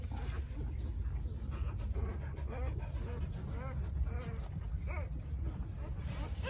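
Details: Newborn puppies, rescued from a narrow, roofless underground hollow made by their mother during rainy days, give thin arched squeals in short bursts that rise and fall, repeated over several seconds above a steady low rumble.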